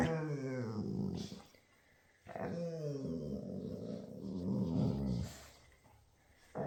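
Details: Two female Labradors playing together growl and grumble in long, low rumbling bursts, with brief pauses between the bouts.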